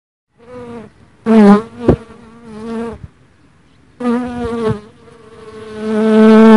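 A dark honey bee gives a low, even drone that comes in several bursts, wavering slightly in pitch. The buzz grows louder toward the end as the bee draws nearer.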